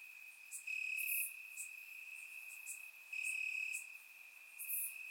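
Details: Warm summer night in Bulgaria with crickets calling from the grass, captured by a surround microphone; an unbroken shrill trill carries on while two louder pulsed phrases rise out of it a couple of seconds apart.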